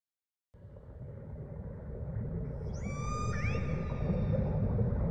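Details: Humpback whale recorded underwater while snorkeling in Tonga: after a rise in steady water noise, a brief tonal whistle with stacked harmonics sweeps upward around the middle, followed by a short bent upsweep, over continuous low rumbling sea noise.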